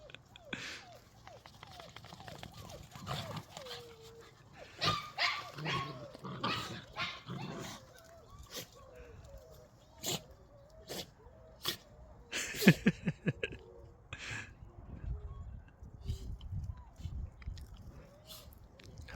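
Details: Puppies, one called Jenny, playing indoors with people; repeated short curved whines and whimpers, some rising then falling, scattered through the clip with sharp clicks and thumps, a person talking and laughing over them.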